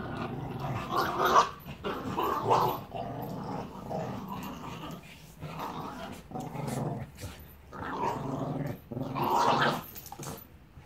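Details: Two dogs playing in Salford, a six-year-old rescued Staffordshire Bull Terrier named Annie and a Border Terrier puppy named Bear, learning to socialise: rough, throaty growls rise and fall in repeated bursts, with scuffling between them indoors.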